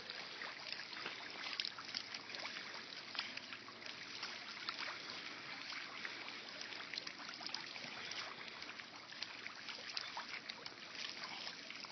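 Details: Steady rushing and splashing of a water fountain fills the recording, with no animal voice heard.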